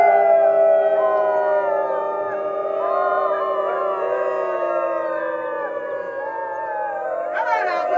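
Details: Gray wolves of the Main Pack at Wolf Park during Howl Night, a dense group chorus of overlapping sustained howls, many pitches layered and wavering together, steady throughout with a brief burst of higher noise near the end.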